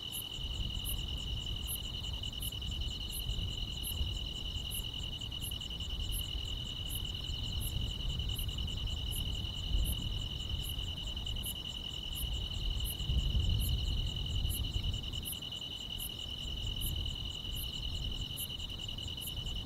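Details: Countryside summer night chorus of grass insects, a sustained shrill trill with regular high chirps about every 0.7 seconds, accompanied throughout by a heavy low-frequency rumble that swells midway.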